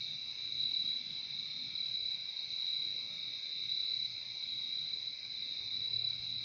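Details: A dense chorus of crickets sings without pause, producing a continuous shrill, ringing drone in two high layers that pulses slightly in loudness. Only a soft low background hum accompanies it in this calming nature sound.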